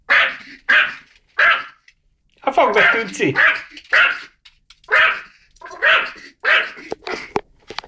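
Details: A dog excited at its first sight of a mouse lets out irregular loud barks, with a person's voice talking briefly in the middle.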